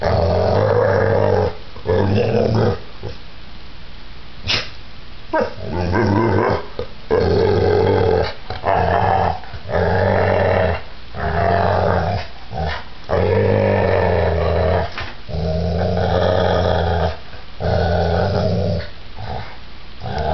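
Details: Giant pit bull in a violent attack, giving continuous snarling growls broken into many bursts of uneven length, with occasional sharp bark-like yips and knocking thuds throughout.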